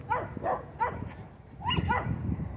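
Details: Dog at a dog park giving short, sharp, high yelping barks, three spaced about a third of a second apart, a pause, then two more in quick succession; low rumbling background noise underneath.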